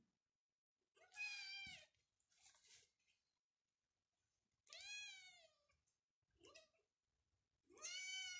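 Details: Persian cat at a cattery in Pakistan that keeps cats and kittens. Four clear, drawn-out meows, each arching up then falling, spaced a second or two apart, with quiet room noise between them.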